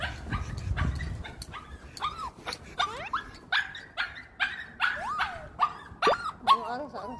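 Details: Pet dog excited on the way to an off-leash play area to meet dog friends; a series of high, whistled whines and yelps, some rising and falling, repeated about every half second, with a brief human voice at the start.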